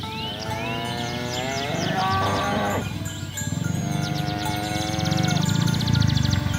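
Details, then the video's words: Village cattle on the way to the livestock pen, driven through a rice field ditch; a wavering moo fills the first three seconds, then a quieter level bellow, with rapid rhythmic clatter and a low rumble beneath. "Bunyi sapi"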